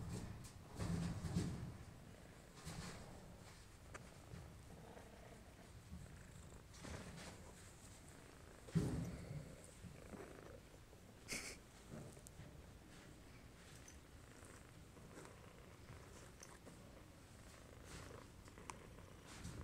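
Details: Male domestic shorthair cat awaiting adoption at a shelter, recorded 9 March 2014 in the evening, purring softly as a low continuous rumble with brief louder bursts and occasional clicks and handling rustles in a small indoor room.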